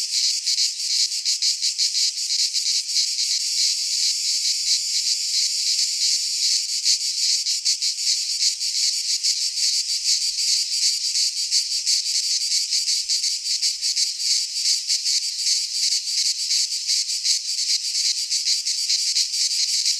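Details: Cicadas singing in midsummer in a Greek pine forest: a dense, loud, continuous buzzing chorus pulsing rapidly throughout, concentrated high in pitch with no other clear sounds.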